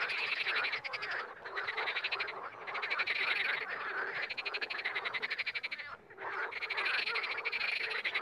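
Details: Chorus of frogs, loud pulsed croaks running continuously in long rattling bursts, broken by two short pauses, many voices blending together.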